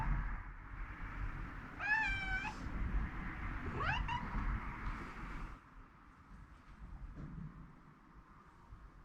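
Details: A rescued house cat calls insistently to rouse its oversleeping owner: two distinct harmonic meows about two seconds apart, the second rising sharply, then quieter room noise.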